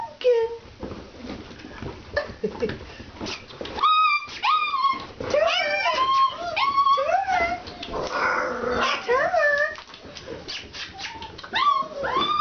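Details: Several Alaskan Malamute puppies at a kennel, first time outdoors, keep up a busy chorus of high, wavering whines and short yelps, some cries bending downward, with a brief noisy scuffle in the middle.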